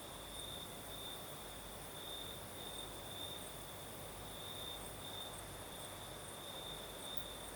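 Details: In the Crimean south at night, crickets keep up a shrill, steady trill with brief brighter pulses, while a light night breeze adds a broad hissing background.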